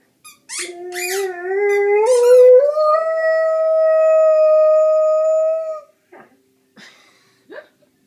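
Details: Rhodesian Ridgeback aged fourteen months 'talking': a few high yips lead into a smooth, steadily rising howl sustained about four seconds, then fading to faint whimpers.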